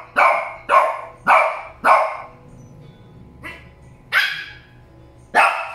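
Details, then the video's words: Shih Tzu dogs named Molly and Loly barking: four sharp yaps in quick succession, a quieter one after a pause, then two more loud barks spaced about a second apart. "Shih Tzu Barking"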